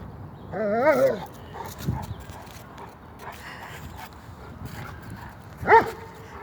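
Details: German Shepherd dog in a light-hearted household scene: a drawn-out wavering whine opens, short muffled yelps follow, then a single sharp bark near the end, with faint human voices in the background.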